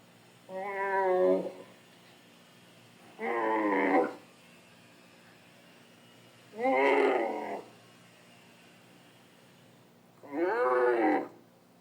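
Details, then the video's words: Dromedary camels recorded in the Sahara in 2017, giving four separate harmonic moaning calls about a second long, spaced roughly three seconds apart, each wavering and slightly falling in pitch. "Dromedary camels (Sahara 2017) Sound-effects."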